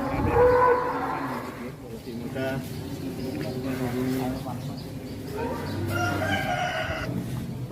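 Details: At a Jakarta cattle farm said to hold about 1000 head, cattle give long, low moos that swell and fade, with clapping, voices and music around them.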